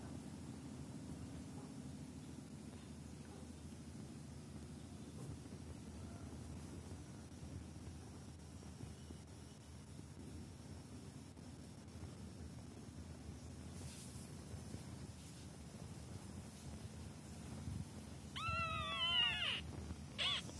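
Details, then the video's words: Kitten during a training session: a steady low hum fills most of the recording, then near the end a short, high, harmonic meow rises and falls, followed by a brief second cry. "Baby Cat taking training"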